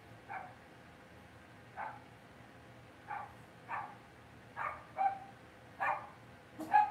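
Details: Indoor pen of Cavalier King Charles Spaniel puppies, raised in a family home. Eight quick high yips come roughly once a second, growing louder toward the end, over a faint low room hum.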